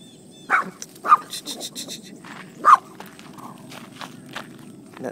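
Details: Romeo, a miniature Poodle meeting horses for the first time while visiting Bristow, Virginia, gives three short, sharp barks about half a second apart, then falls quiet amid footsteps, rustling and a person's voice.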